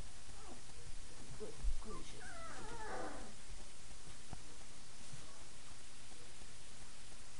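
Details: Five-week-old puppies, among them Francesca, Herschel and Java, playing indoors after the night-time feeding; high, thin whimpering squeals cluster in a short burst, then trail off into low room hiss with a soft thump.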